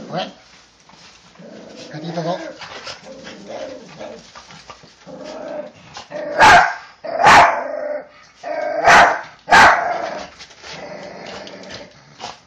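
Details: Two pet dogs, a Toy Poodle × Pomeranian mix and a Chihuahua, welcome their owner home from behind the door; soft whines and a man's murmured voice give way to four loud, sharp barks in quick pairs.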